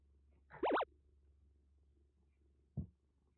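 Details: Rescued kitten, once soaked in heavy rain in western Japan and suffering a bad cat cold, now recovering at a Kagoshima kitten nursery, gives one short wavering mew followed by a soft knock indoors.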